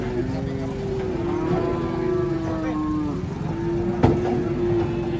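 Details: Restless cattle unloaded from a truck produce a sustained low moo, held steady for several seconds with a slight downward bend, then resume. A person talks in the background and a sharp knock sounds near the end.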